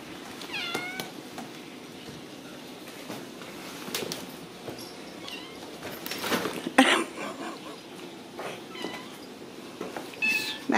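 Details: Ragdoll kittens raised in a home cattery in central Kansas, giving a few short high mewing cries with curved pitch, scattered among clicks, rustling and handling noises, with a person's voice nearby.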